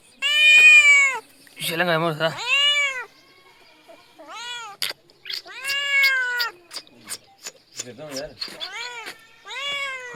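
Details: Little kitten giving a rapid series of meows: bright, high, arched calls, some wavering and trilled, several overlapping or in quick succession, separated by brief soft clicks and short pauses, with a few faint low rumbles.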